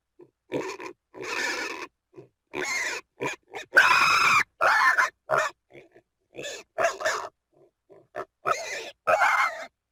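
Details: Domestic pig producing a broken series of short grunts mixed with shrill, strained squeals, one louder drawn-out squeal near the middle, the calls coming in quick irregular bursts.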